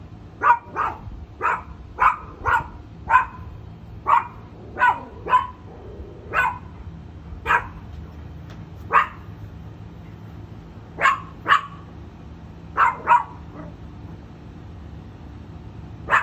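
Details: A small dog barks at a bigger dog beyond a fence in the United States, unable to see what it sees; short sharp barks in irregular bursts, sometimes doubled, with gaps of a second or more, over faint low hum.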